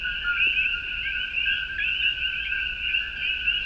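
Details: Dense chorus of male common coqui frogs (Eleutherodactylus coqui) in Puerto Rican jungle at sundown as rain starts, about 68–69°F: bright, high two-note 'co-qui' whistles overlapping into steady ringing, mating calls. Finding: Common coqui.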